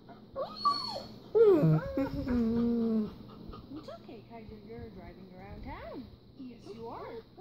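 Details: German Shepherd dog indoors howling while watching another German Shepherd on screen; wavering tonal yelps and whines rising and falling, one longer sliding howl near the middle, fainter whimpers after, steady low hum behind.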